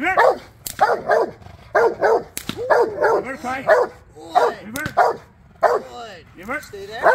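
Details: Male Rottweiler barking during foundation bite work training for personal protection; loud, harsh barks in quick bursts of two or three, roughly every second, with short gaps and a person's voice faintly between.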